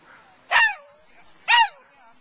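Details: Dog working sheep at the 2009 Wags for Wishes event: two sharp, high barks about a second apart, each sweeping downward, over a quiet background.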